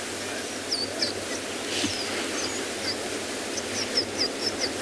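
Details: African wild dogs make short, high, bird-like squeaks and twitters, their pack communication calls, scattered irregularly several times a second over steady hiss. Recorded on a sunrise game drive on 10 June at Tswalu Kalahari Reserve, South Africa.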